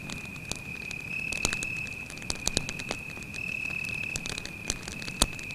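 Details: A cricket trills continuously on a forest night next to a campfire. Its even, shrill tone runs without pause under frequent loud crackles and pops from the burning wood.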